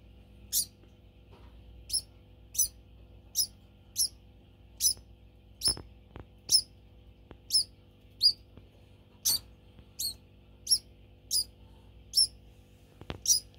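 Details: Household pet degu squeaking to demand food as mealtime nears; piercing high chirps repeated at uneven intervals of about half to one second, with a few soft clicks and knocks.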